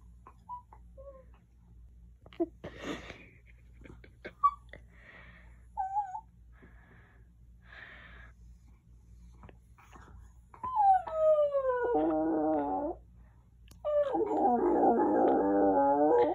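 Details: Shirley the dog howling indoors: after a quiet stretch of faint snuffles, two drawn-out wavering wails slide downward in pitch, the second louder and rougher, each lasting a couple of seconds.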